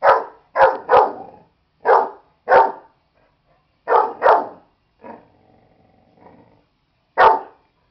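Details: A dog called Buddy barks at a stuffed animal in bursts of short rough barks, often paired, with a quiet low growl in a lull before a final loud bark.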